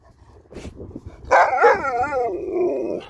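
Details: Alaskan Malamute Sherpa, playing with a ball, gives one drawn-out, warbling woo-woo call that wobbles up and down in pitch and slowly falls away over nearly two seconds. Faint background noise comes before it.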